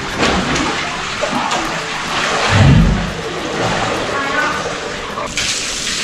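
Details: A captive walrus, just roused from sleep in the morning, breaks wind with a short, deep, rumbling burst amid splashing water and keepers' voices; a rarely heard sound, said to be not smelly.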